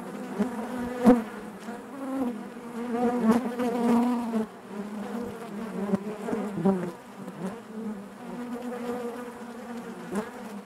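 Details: A hive full of honey bees produces a steady, low, harmonically layered hum, louder in the first half, with occasional brief close buzzes and soft ticking sounds.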